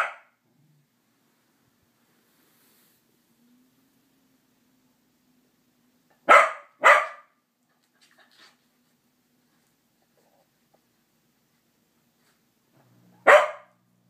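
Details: Corgis give a few sharp, loud barks, singly and in a quick pair, with long quiet gaps, barking at a greeting card held up to them.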